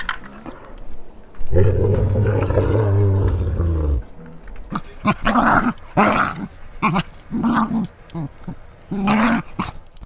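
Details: Playful female English Springer Spaniel in crazy noise mode, set off by toy play or threats to her toes; a sustained low growling roar for about two seconds, then a string of short broken grunts and yelps.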